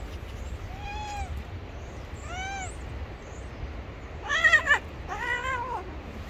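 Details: Gray street cat, angry and ready to bite if touched, gives four drawn-out, arching meow-like wails; the first two are thinner and fainter, the last two louder, harsher and more strained, over a steady low background hiss.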